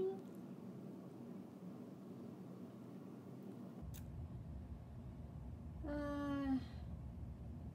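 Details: Lily Bear, a 14-year-old Siamese cat, answers indoors as her favourite word, cheese, is spoken: one clear, tonal, slightly falling meow near the end, rich in harmonics, after a stretch of quiet room hum and soft human voice.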